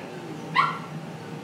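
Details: Jackpot, a Bernese Mountain Dog unable to move at all after big surgery, crying hard on seeing her family; one short, high, strained whimper-yelp rises briefly out of a quiet room.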